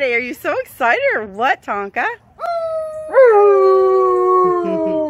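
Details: An Alaskan Malamute named Tonka, excited by company, starts with a rapid series of short rising-and-falling yips, then settles into a long steady howl that slowly drifts downward in pitch.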